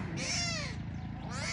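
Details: Tiger cubs abandoned by their mother at the Taigan lion park in Belogorsk, Crimea: two loud, arching, harmonic mewing cries, the second starting as the first fades, over a steady low hum.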